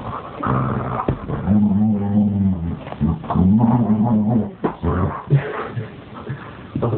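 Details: Pet dog playing a wild tug game with a Pikachu toy; low, rumbling growls in drawn-out bursts lasting about a second each, broken by short pauses and scuffling sounds.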